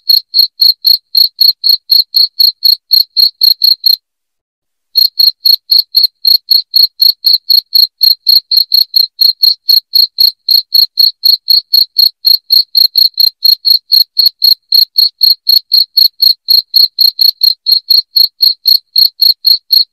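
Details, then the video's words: Shrill cricket chirping used as a rat deterrent at home: regular high pulses about four per second, broken by one silent gap of about a second near the start, then continuing evenly. "SUARA JANGKRIK NYARING PENGUSIR TIKUS"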